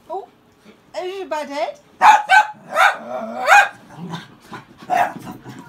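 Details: Cairn Terriers in a dog fight (second round) scuffle, whiny yelps giving way to harsh, snarling barks in quick bursts; finding: Cairn Terrier.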